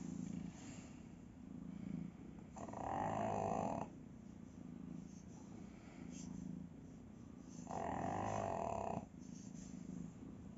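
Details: A sleeping pug snores in rhythmic breaths, each a rapid low rattle, alternating quieter inhalations with louder, harsher nasal exhalations every five to six seconds, with no other sounds.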